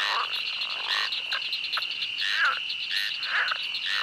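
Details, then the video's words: Pond frogs at a pond giving scattered croaks, some short and clicky, one a brief rising creak, against a steady high cricket drone. "Pond Frogs & Cricket Sounds"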